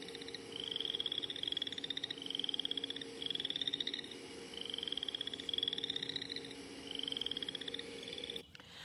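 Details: Boreal chorus frog from Iowa, calling early in the breeding season: a series of short rising pulsed trills, about one every 1.3 seconds, each a rapid ratchet of clicks climbing in pitch, over a steady background hum.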